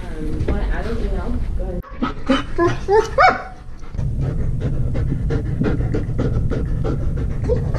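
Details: German Shepherd dog breaking down crying, scared on realizing he is going to the vet: a few high, bending whimpers early on, then quick, uneven panting breaths repeated steadily, with a person talking nearby.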